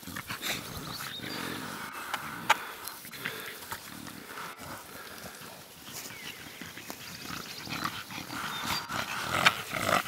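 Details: Staffordshire bull terrier puppies, six weeks old, playing and discovering the outside world in the PACA region of France; a continuous rough, grumbling growl-like noise with scattered squeaks and thin high yips throughout.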